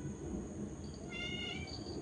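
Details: Domestic cat meowing outdoors at a home in the evening as its owner coaxes it back inside; a single high meow with stacked harmonics rises near the end, over a steady low background hum and a woman speaking Bengali.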